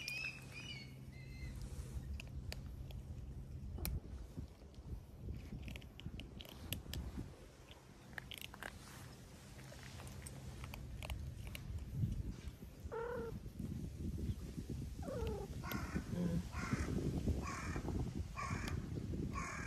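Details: Stray cats, kittens eating alongside a boss cat, at dinner in a park on a cat island in spring; several short harmonic meows, rising then falling, over steady crunching and chewing of food, with a low hum behind.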